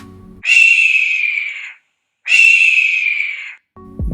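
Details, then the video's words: Rat giving a distress or alarm call: two long, high, thin squeals, each about a second and a half, steady then slightly falling, separated by a short silence, with faint music before and after. "next we have a distress call or alarm sound produced by a rat"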